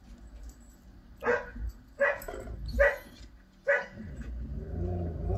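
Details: Male Irish setter indoors, barking while watching TV footage of himself and his brother chasing each other in snow, February 2021. Four sharp, harsh barks come roughly every second over a low rumbling background.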